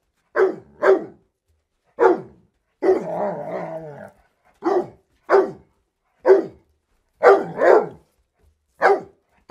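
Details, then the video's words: Dog barking and briefly growling, from a sample-based compilation: scattered sharp barks, one longer rough growling stretch near the start, then paired barks at a steady pace. "Dogs Barking for 12 hours"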